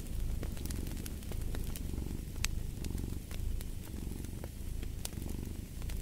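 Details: Cat purring steadily in low rumbling cycles, each breath roughly a second long, over the sharp pops and crackles of a fireplace fire.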